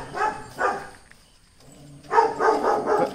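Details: Dachshund barking aggressively on a visit to another house that keeps a German Shepherd and a native dog; two sharp barks, a pause of about a second, then a fast run of four barks.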